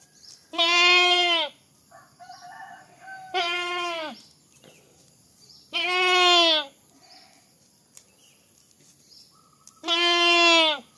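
A goat bleats loudly four times, each call a harsh, wavering, nasal cry.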